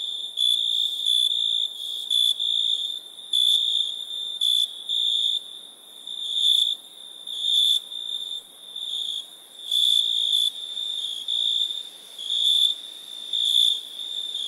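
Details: Crickets at night in a dense high-pitched chorus: an unbroken shrill trill that swells and fades in loudness every second or so, with overlapping callers and faint background hiss.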